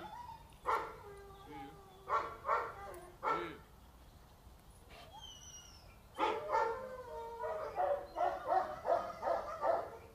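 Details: Female Boxer, two and a half years old, brought in for training and socialisation in Hungary: repeated loud barks in short clusters, with a faster volley of barks near the end and human voices mixed in between.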